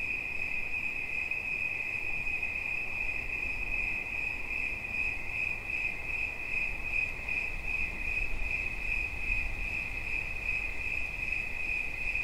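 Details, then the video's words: Shrill continuous cricket chirp at one fixed high pitch, pulsing quickly and evenly throughout, accompanied by a more noticeable low rumbling background noise than usual. "Świerszcz. Dźwięki relaksacyjne"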